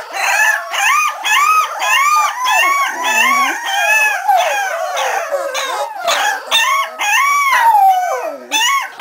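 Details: Cardigan Welsh Corgi pups, 3.5 weeks old, born November 2008 at a kennel in Sweden, give a steady run of short arched howls and whines, several voices overlapping in rapid repeated pulses.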